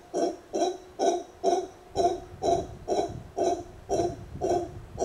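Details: Captive congo (howler) monkey calling back and forth with a person. About ten evenly spaced, gruff, resonant hoots come at about two per second, with no other clear sounds.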